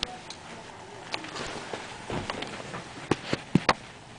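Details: A 10-week-old female Golden Retriever puppy hiccups after eating, giving short, abrupt clicking jerks at irregular intervals.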